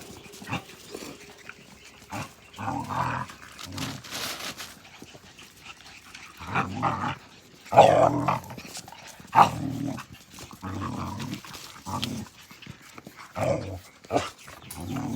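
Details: Australian Cattle Dog puppies, Blue Heelers, playing together; rough growls and short yaps come in bursts every second or two, with a couple of sharper yelps midway, over rustling and scuffling movement.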